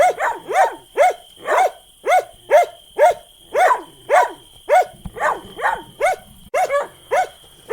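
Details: Repeated dog barks, around fourteen in under eight seconds, each short and arching up then down, evenly paced near two per second, a faint steady whine in the background.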